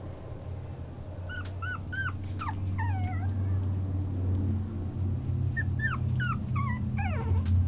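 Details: A female Yorkipoo puppy whimpers in a series of high, thin, falling and wavering whines, about four per second in bursts. A steady low hum runs underneath throughout.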